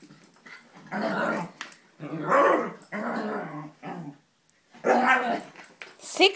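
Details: Abbey, a female wheaten Scottish terrier, reacting to a fake Scottie dog as if it were real: a series of rough, grumbling growl bursts about a second long each, with short pauses, and a person's voice toward the end.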